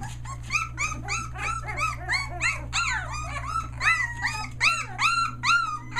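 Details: Litter of Australian Shepherd puppies, one day short of three weeks old, near Mooresville, North Carolina, newly finding their voice: overlapping high arched whines and squeals, several per second, over a steady low electrical hum.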